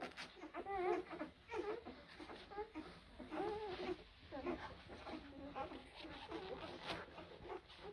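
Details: Young blue Great Dane puppies from April 2023 litters whimper in drawn-out, wobbling whines that swoop up and down, some louder yelping cries overlapping quieter ones throughout.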